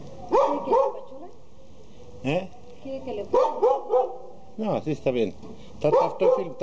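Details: Border Collie puppies for sale in Jalisco, Mexico, yapping in short bursts of two to four high barks and yips with gaps between, while a person speaks softly to calm them.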